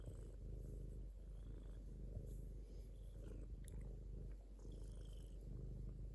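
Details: Low, throaty purring from a domestic cat, a steady vibrating rumble that pulses gently with its breathing; a couple of faint clicks near the middle.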